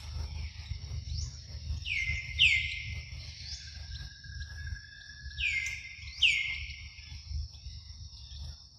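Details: Morning milk time for Luno the baby monkey, heard as two bursts of piercing descending squeals, each a quick downward swoop flattening into a held tone, with constant high buzzing and low background rumble.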